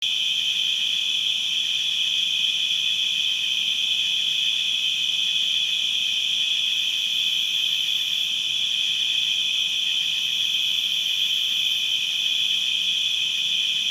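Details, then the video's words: Crickets chirping in a distant, constant chorus: a steady high trill with no breaks, a strong band plus fainter higher overtones, and no other clear sounds. "Crickets distant and constant chirping sound effects"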